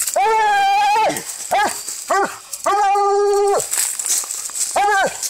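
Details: Coon-hunting Walker hound in a fight, giving long drawn-out bawls held close to a second each, mixed with shorter rising-and-falling yelps, loud and harmonic against light outdoor hiss.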